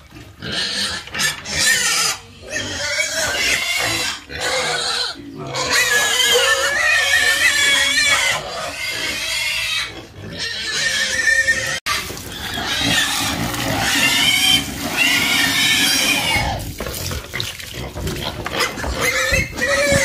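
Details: Several pigs squealing almost without pause, shrill harmonic cries overlapping and wavering in pitch, with brief gaps and a short break near the middle before another squealing run.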